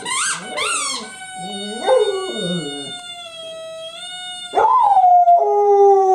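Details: A pet dog howling along with her favorite squeaky toy, recorded January 24, 2012: long sustained tonal howls that hold steady then slide downward, with short squeaky yips early and a rising, falling final wail.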